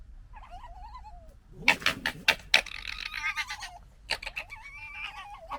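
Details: A fox gekkers with rapid, harsh clicking chatters between thin, wavering whines, amid gekkering and fighting noises.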